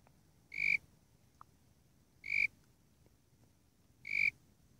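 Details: Calling Warrilla imposter cricket, Eurygryllodes warrilla: clean, tonal, high chirps, three in all, each brief and evenly loud, repeated about every 1.8 seconds against quiet low-pitched background noise with a single tiny click.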